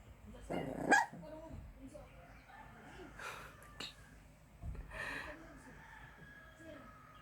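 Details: A sleeping puppy gives short muffled yelps and bark-like bursts, one near the start and another about four seconds later, with soft whimpers in between, over a low steady hum and faint voices.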